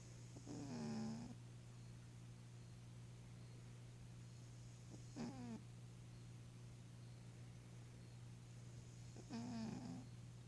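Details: Eleven-year-old female Maine Coon cat snoring while sleeping and dreaming indoors: three nasal breaths about four seconds apart, each a short voiced squeak sliding downward, over a steady low electrical hum.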